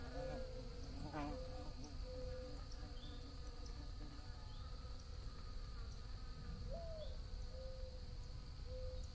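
Steady bee buzzing, a droning hum that wavers slightly in pitch as the insects move about.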